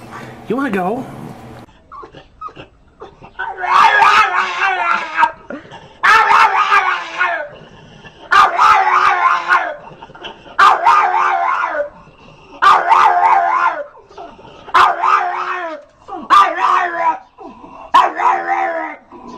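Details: Domestic dog making funny noises: a series of drawn-out, wavering howl-like moans, each about one to one and a half seconds long, repeated roughly every two seconds. Background music and a person's voice are present.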